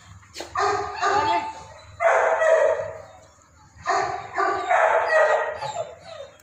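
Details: Labrador Retrievers at Raja Land Kennel, a Labrador dog farm in Ambala Cantt, Haryana, India; three loud, hoarse barking bursts about two seconds apart, each a cluster of rough barks, over a faint low hum.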